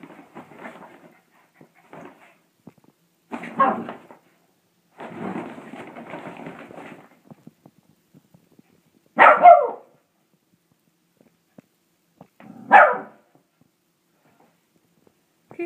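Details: A pet dog playing with a laundry bag: rustling and scuffling of the bag through the first seconds, then two short, sharp barks about three seconds apart, with quiet between them.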